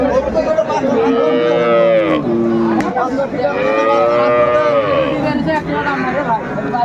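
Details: Cattle at Aftabganj cattle market (haat), Dinajpur, on January 4, 2025, where cows with calves are sold: two long, drawn-out harmonic moos, each rising then falling, over steady crowd chatter and bargaining voices.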